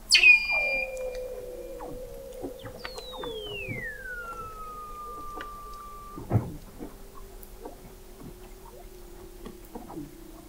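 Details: Weddell seals recorded in November 2017 by the McMurdo Oceanographic Observatory, 21 m below the sea ice in McMurdo Sound, Antarctica: long, smoothly descending whistles that glide down and level off into sustained tones, with scattered clicks and pops.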